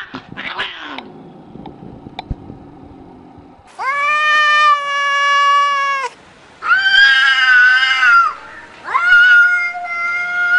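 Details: Domestic cat giving three loud, drawn-out wailing meows, each lasting about two seconds with rich harmonics and a slight wavering in pitch. Softer scuffling and brief indistinct sounds come first, before the calls begin.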